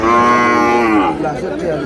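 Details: At a Madaripur cattle market in Bangladesh, where Sahiwal bull calves were bought on 3 April, a calf gives a strong, even moo of about one second that fades into the crowd murmur around it.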